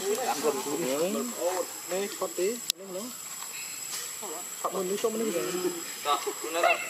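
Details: Baby monkey Luno crying and screaming as his mother leaves him in the water: a run of wavering, quavering wails rising and falling in quick succession, with a sharp click partway through.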